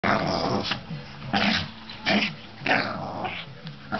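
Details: Two domestic dogs, a Lhasa Apso and a Pit Bull, fighting, with the Lhasa Apso bullying the Pit Bull; harsh snarling growls come in loud bursts roughly every half second to second, with rough, noisy tone between outbursts.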